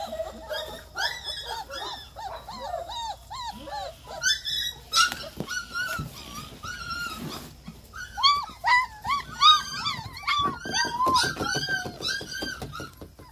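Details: German Shepherd puppies whimpering and whining in overlapping high, arched cries, several voices calling over one another in quick irregular bursts throughout.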